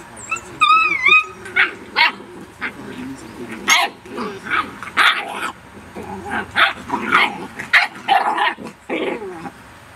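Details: Rhodesian Ridgeback puppies in a burst of busy yapping: a short whining, wavering whimper at the start, then a rapid string of high, squeaky barks and yips, several pups overlapping, roughly two per second for ten seconds.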